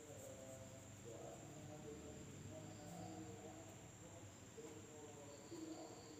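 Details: Insects calling at night in a village in Indonesia: an unbroken high-pitched drone, short buzzy bursts appearing higher up, and soft warbling tones lower down.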